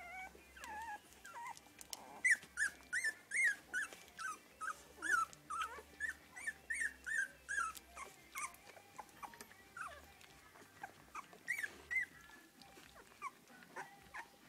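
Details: Three-week-old English Cocker Spaniel puppies in a litter whimper and squeal in high, wavering bursts.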